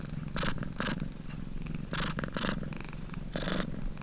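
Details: Domestic cat purring: deep, even rumbling purr broken by breathy, hissy inhalation bursts about every half second to second, close and steady throughout.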